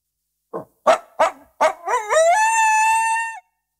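A coyote gives four quick, sharp yips, then slides upward into one long, steady howl that holds for about a second and a half before breaking off.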